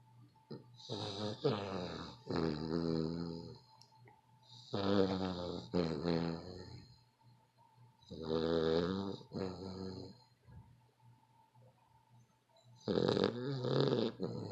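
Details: Dog snoring loudly, billed as the world's loudest snoring dog; long rattling, buzzy snores in four bursts, each about two seconds, separated by quieter breathing pauses, with a faint steady hum in the room.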